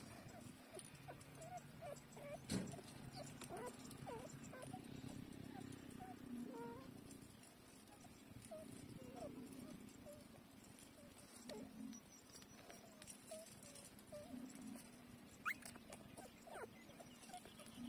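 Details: Week-old puppies with closed eyes feeding from their mother; scattered thin high squeaks and small whines come in irregular bursts over a constant low rumble, with a couple of sharp knocks and faint voices in the background.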